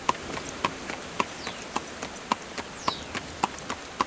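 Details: A horse drawing a carriage, its hooves knocking out an even clip-clop of roughly 107 steps a minute, each strike ringing briefly, with faint high whines passing in the background.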